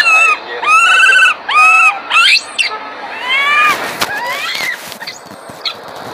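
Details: Young monkey cries out loudly as its mother grooms it, giving about five strong arched, harmonic wails in rapid succession, then softer rising and falling cries with some clattering noise.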